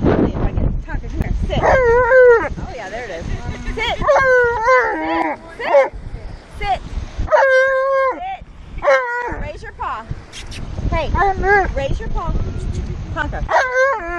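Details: Tonka, an Alaskan Malamute, reacts to manatees at the beach with a long run of loud, wavering, yodel-like howls and whines, each rising and falling in drawn-out phrases, with a person's voice and beach noise in the background.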